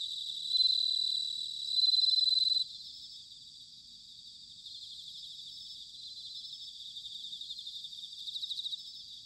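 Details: Bell crickets singing on an autumn night at Sanuki, Chiba, Japan: high, bright ringing trills in dense overlapping pulses, with a louder clear ringing phrase early on, then a softer steady chorus; no other sounds.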